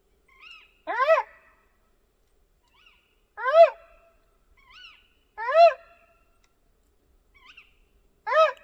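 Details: Red fox calling at night near a campervan in a forest camp: loud, hoarse, downward-bent barks roughly every two and a half seconds, four in all, with fainter short yelps between them and otherwise silence.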